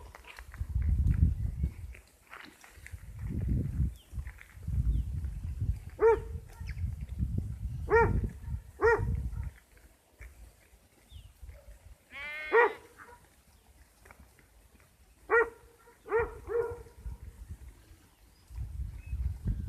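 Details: Sheep uttering brief, nasal bleats at irregular intervals, including one longer quavering cry, over heavy low-pitched rumbling and handling noise.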